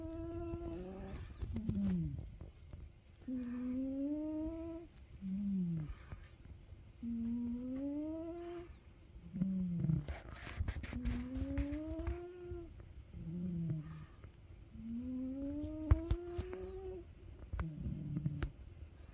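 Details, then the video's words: A sleeping Ragamuffin cat snoring: a nasal, slightly whistled rising tone on each breath, repeated about every two and a half to three seconds, with low breathy rumbles in between. "Snoring cat (Ragamuffin) 猫の寝息"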